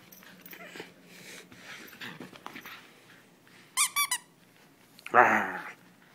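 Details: Female German Shepherd named Sam playing tug-of-war indoors: a quick trio of high squeaky notes, then a loud, harsh, harmonic-rich vocal burst near the end, over faint background rustling.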